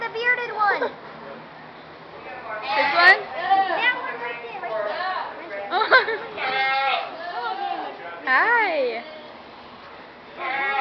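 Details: A lone goat at a county fair, possibly missing its companions, bleats loudly and repeatedly with wavering, quavering cries while people talk and laugh nearby.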